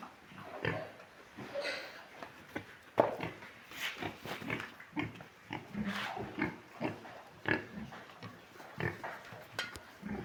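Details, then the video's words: Large White pigs on a farm, irregular short grunts and snorts scattered over ten seconds amid shuffling noise, with a few higher squeals. "large white pigs"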